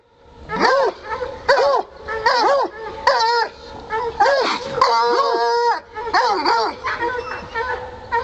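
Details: Coon hunting dogs barking at a caged raccoon: repeated loud, arching barks and bays, roughly seventy a minute in uneven bursts, several dogs overlapping; a man's voice urges them on.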